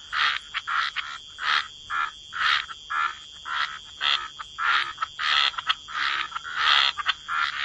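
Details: A wetland chorus of croaking frogs by the water, giving loud grating croaks in quick succession, almost twice a second, with uneven gaps and a constant thin high-pitched hum behind them.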